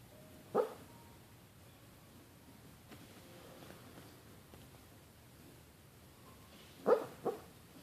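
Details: Maddie Mae, a pet Boston Terrier, lets out a single muffled woof while dreaming in her sleep, then a long quiet pause before a closer pair of soft, stifled barks near the end.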